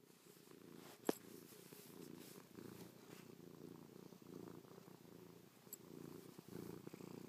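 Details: Cuddly cat purring close up while pawing, kissing and licking its owner's face after a night asleep on the owner's back; even rhythmic rumbling purr, one sharp click early on.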